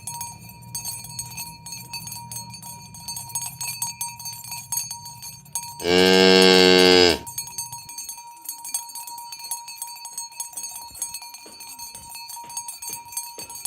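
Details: Tame village cows herded toward their pen in the morning. Cowbells clink and footsteps shuffle, broken by a single loud, rich moo lasting just over a second. Bells continue afterward.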